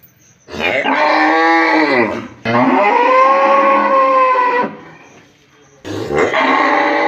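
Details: In a village, a cow gives three loud, drawn-out moos, each rising then falling in pitch.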